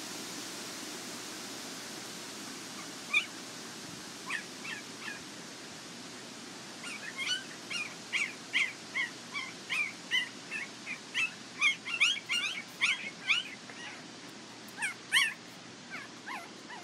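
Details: Border Collie puppies from a Nell x Skeet litter at the International Peace Gardens, August 12, 2018: thin, high, squeaky whimpers, scattered at first, then a rapid run of cries around mid-clip before thinning out again.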